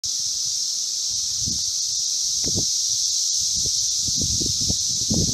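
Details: Brood V 17-year periodical cicadas (Magicicada) at the intersection of Vine and Walnut in Logan, Ohio: a dense, unbroken high hissing chorus fills the whole stretch, over scattered low rumbling bumps.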